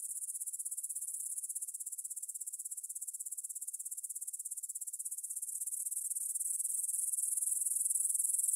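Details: Meadow grasshoppers stridulating near Svensky monastery in Bryansk, Russia, on a September evening in 2020 at 9pm; rapid, shimmering high trill of even pulses that swells gradually louder toward the close.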